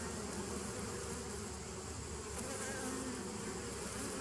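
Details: Continuous hum of honey bees, 27 September 2018: a thick, even drone with low tonal bands and a brief higher whine near the end, loudness unchanging throughout.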